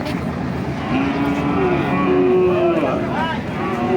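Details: Cattle at the Nandail Chourasta cattle market on 10/04/2025, where heifers and bull calves are traded. A drawn-out, low, steady moo rises slightly in pitch partway through, over busy crowd chatter, a man's voice and background music.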